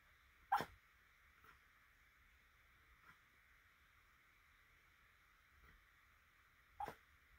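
A sleeping Cairn Terrier gives two short, muffled barks about six seconds apart over a steady hum.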